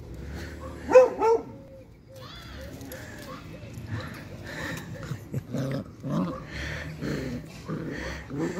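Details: Beagle mother playing tug-of-war with her puppies; two sharp, high whining yelps near the start, then softer, rough grunting and growly pulls repeated irregularly, with faint voices in the background.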